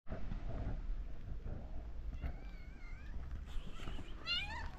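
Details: Stray mother cat in Morocco, her kittens asleep nearby, meowing gently to ask for food: two drawn-out, wavering harmonic meows, one midway and one at the end, over a steady low background rumble.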